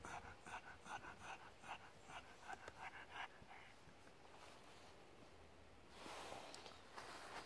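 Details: Pet pug named Cookie, basking on a sun lounger and worked up by being stroked, gives a steady run of fast, regular snuffling pants for about three seconds, then quieter breathing and a brief rustle.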